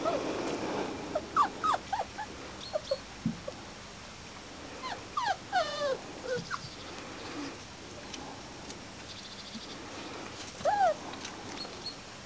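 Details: Y-litter Springer Spaniel puppies aged about four and a half weeks, out for the first time, whining in bursts: clusters of high wavering yelps and squeals separated by quieter gaps, one final drawn-out whine near the end.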